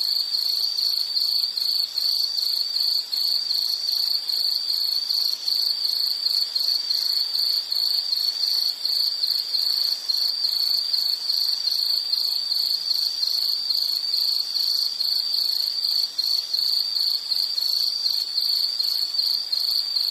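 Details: A long, unbroken high-pitched insect trill with fast regular pulsing and faint upper overtones, steady for twenty seconds in a soothing nature sounds recording.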